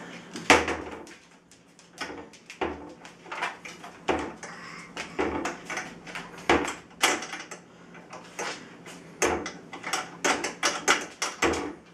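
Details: Indoors in a small room, a steady run of sharp knocks and clattering thuds repeats through the recording, with no animal voice heard.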